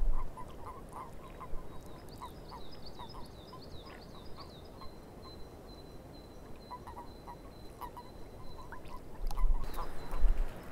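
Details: Swamp frogs croaking in short, evenly spaced knocks during the first half, joined by a bird's high chattering phrase and then a long, level whistle, over steady low background noise.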